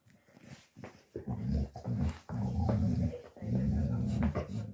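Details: Dogo Argentino mix, a young male born August 2023, living in a foster home in Osnabrück, Germany, after rescue from Italy; low rumbling growls come in four sustained bursts separated by short pauses.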